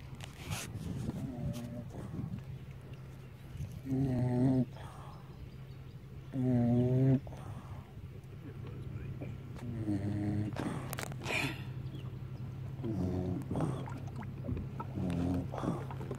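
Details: Pet Beagle, a female, asleep on a boat in the sun after a fishing trip, snoring in low, rattling, harmonic breaths that swell at intervals of a few seconds, with motor or water hum underneath.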